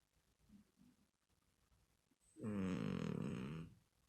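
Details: A sleeping cat snores indoors: one loud, rough, wavering breath lasting about a second, buzzy and layered, after near silence with faint soft breathing.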